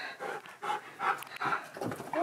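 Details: Siberian Husky demanding lunch indoors, uttering short whiny vocal bursts with tonal squeaks and breathy panting between them, a woman talking nearby.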